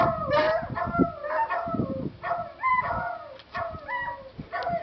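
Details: A beagle, tilting his head, answers dogs barking in a YouTube video with a run of sliding, drawn-out bays and short barks.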